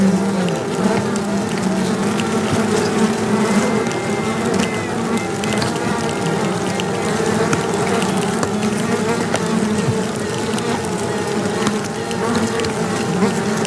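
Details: Queen honey bees piping to locate each other for battle, recorded close to the box; continuous dense buzzing with faint tonal pipes over the hive hum.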